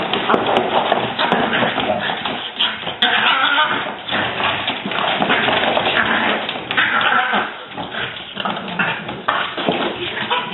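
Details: Two French Bulldog sisters squabbling indoors: a continuous rough, grumbling growl with harsh throaty bursts and snorts running throughout, loud and dense, with no pauses.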